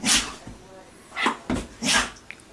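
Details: Female Vizsla sneezing on command after being asked for two sneezes, then praised; sharp, hissing, breathy bursts, one at the start and a tight cluster near the end, with quiet gaps between.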